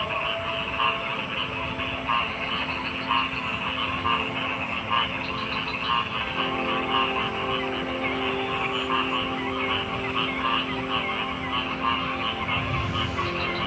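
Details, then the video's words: Frogs croaking in a dense chorus, with short pulsed notes repeated about twice a second over a steady, droning background hum and overlapping callers throughout. "Frog Sounds"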